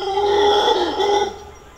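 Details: A Black howler monkey in Costa Rican jungle at dawn gives a loud, strained roar that holds steady, then breaks off after about a second.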